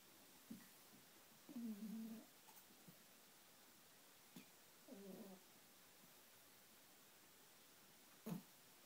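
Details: Pomeranian fast asleep in its favourite bed, snoring: a few soft low snorts and two longer raspy breaths about three seconds apart, in a quiet indoor room.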